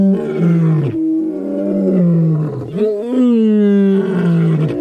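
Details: Lion roaring in long, deep, drawn-out moaning calls, three sustained rough tones over about five seconds, each gliding slightly downward, with a brief rise before the last.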